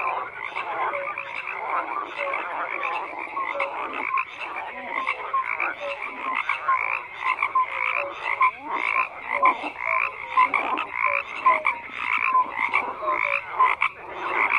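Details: Steady chorus of many frogs, continuous overlapping croaks with clusters of brief low, clear notes recurring every second or so; nothing else audible above the calling.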